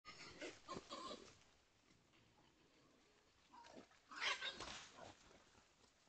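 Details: A mother wild boar, filmed by trail camera, gives rough, snorting grunts and squeals in short bursts, with quiet pauses between.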